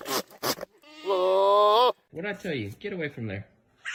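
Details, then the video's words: Goat at feeding time giving one nasal bleat of about a second that rises at the end, followed by a man speaking to it. "Goat funny sounds"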